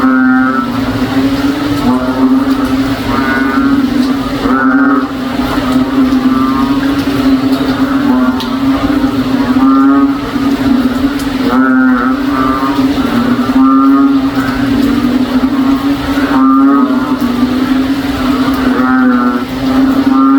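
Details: Frogs that sound like a cow keep calling in a backyard during rain in the province: a dense, steady low moaning hum overlaid with repeated throbbing, rasping bursts every one to two seconds.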